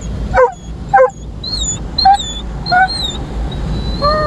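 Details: Roman, a Dobermann, reacting to his first automatic car wash: two harsh barks about half a second apart, then higher yelping cries and a drawn-out whine, against a constant mechanical hum.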